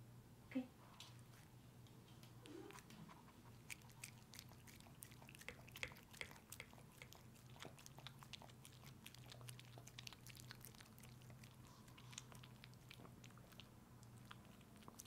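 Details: Pet dog named Pepe indoors, licking and eating peanut butter as a treat; steady wet smacking, licking and chewing clicks repeated rapidly throughout, with a low steady room hum underneath.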